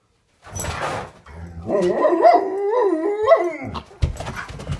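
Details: Indoor Alaskan Malamute greeting its owner in the morning after coming upstairs: a long, wavering, talkative howl rising and falling in pitch over about two seconds, like a drawn-out woo-woo, with soft shuffling and thumps before and after.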